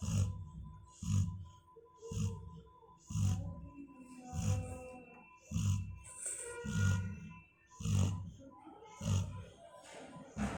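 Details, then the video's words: Female Labrador Retriever snoring in her sleep, a steady run of deep rasping breaths about once a second, each a low grunt with a soft airy hiss on top. "Perry making a noise ... when she was sleeping"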